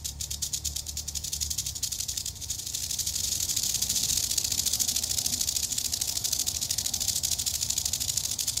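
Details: An eastern diamondback rattlesnake in Florida, under close approach, buzzes its tail rattle in rapid dry pulses that blur into a smoother continuous hiss midway through, with low background rumble.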